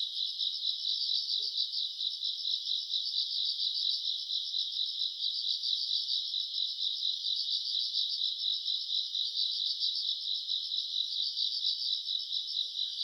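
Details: Grass insects on a summer night, recorded in August: a dense, steady high-pitched trilling chorus with a soft pulsing throb about twice per second, unbroken across the whole stretch, with no other sounds clearly audible.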